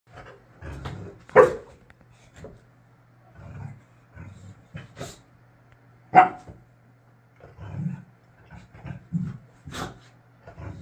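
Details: Layla, a Boxer dog, throwing a tantrum indoors because she cannot get her way, gives scattered sharp barks among low grumbling growls and moans, with irregular pauses between outbursts.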